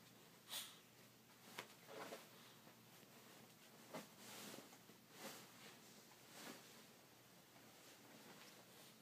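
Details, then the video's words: Male pet Chihuahua snoring in his sleep indoors, soft breathy snorts and wheezy exhalations recurring about every second or so, some sharper, in a quiet small room. "Chihuahua snores"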